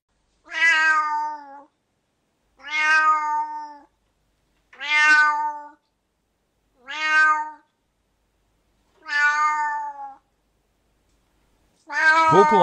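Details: Domestic cat vocalizing, cited as possibly excessive meowing: six similar level, slightly falling meows, each about a second long, evenly spaced roughly two seconds apart against silence, the last one rougher and louder.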